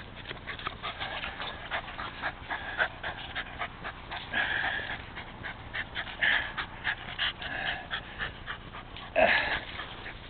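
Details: Jack, a rescued Rat Terrier, pants between rounds of fetch with a ball. The breaths come as quick, breathy bursts in an uneven rhythm, with a few louder puffs near the end.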